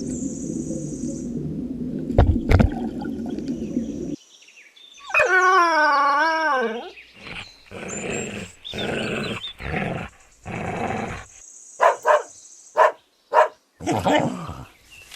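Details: Dog barking in short, sharp bursts spaced unevenly over several seconds, preceded by a steady bubbling noise and a wavering, drawn-out howl-like tone.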